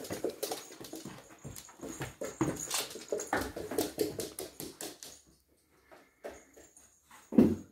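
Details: Three-month-old Springador puppy Archie worrying the cat's bed inside a small room: rapid repeated grunty growls and thuds about every third of a second for five seconds, then near silence broken by a few soft knocks and one louder bump.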